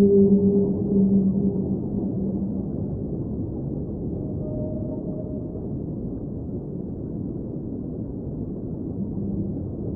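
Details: Whale sounds underwater: brief low pulsing moans at the start, then a faint higher drawn-out note midway. The rest is a steady, deep underwater rumble.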